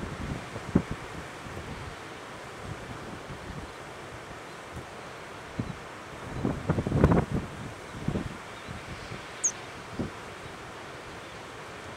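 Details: Only gusty wind and low rumbling thumps against the microphone, with no clear animal voice.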